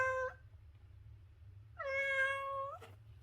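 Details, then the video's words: Domestic cat: the tail of one meow, a pause, then a fuller, level meow lasting about a second, ending with a sharp click. "The Ultimate Cat Meowing Compilation - Cute and Funny Cat Sounds"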